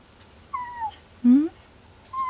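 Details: Unwell male pet cat that will not eat or leave the desk: a short falling meow, then a brief rising higher-pitched cry and another meow beginning, over quiet music and soft speech.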